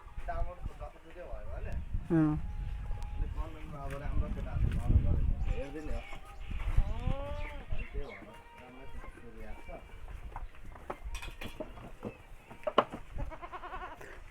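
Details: Several goats bleat in wavering, nasal cries in the morning over a low, busy background of farmyard sounds, walking in groups and eating.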